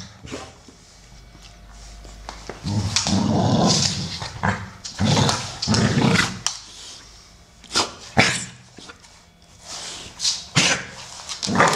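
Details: Two American Staffordshire Terriers at play, Solo, a brown 12-year-old male, and Shaya, a grey female aged 1 year 8 months, trading rough growls and short gruff barks in uneven bursts separated by brief quiet gaps.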